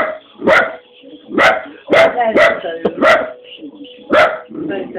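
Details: A dachshund training to bark at a moving toy gives sharp, fairly high-pitched barks, repeated roughly once a second.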